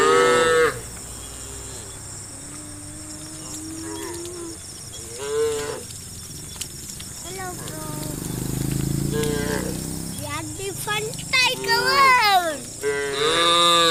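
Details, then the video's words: Tame cows walking a country road toward a farm: a long low moo, then a series of rising and falling calls, several cows overlapping near the end, with a low rumble and constant hiss. "Leading a herd of tame cows to the farm on a country road, funny cow sounds"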